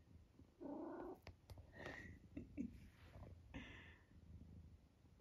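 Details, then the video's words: Eric, a vocal senior tabby cat from Great Britain nearly 12 years old, entertaining himself indoors: a held nasal squeak, then several short chirping squeaks and a brief higher cry, with soft rustling and a quiet voice nearby. "Eric and his random squeaks"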